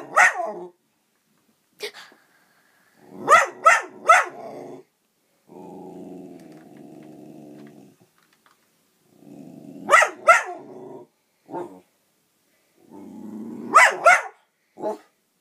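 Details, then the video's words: Pet dog barking at a toy dog indoors: clusters of two or three sharp, rising barks between low rumbling growls, the barks roughly every few seconds, a person speaking briefly afterwards. "barking at the toy dog"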